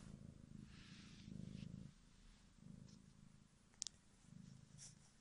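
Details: Kitten Bodza purring in a quiet room, a deep pulsing rumble that swells and fades in waves, with faint rustling and a couple of sharp clicks toward the end.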